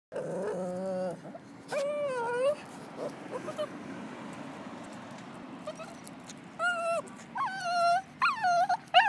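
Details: Female Lhasa Apso dog on a walk, freaking out after spotting a squirrel: high, wavering whines with rich harmonics, a long one at the start, another near two seconds, then a burst of short rising and falling whimpers toward the end.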